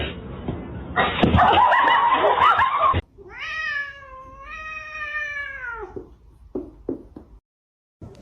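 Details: A kitten gives a long, high, drawn-out meow, followed by a few short chirping mews.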